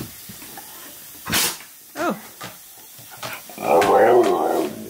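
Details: A male Husky waits indoors for his favourite dog-friendly waffles to cook. He gives a sharp snort, then a wavering rising-and-falling whine, and then a longer throaty, harmonic grumbling vocalisation as a woman speaks to him.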